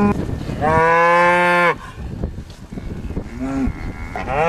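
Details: A farm bull on the Welsh Borders lets out one long, even, strongly harmonic moo lasting about a second, then a short low grunt and the start of another rising call.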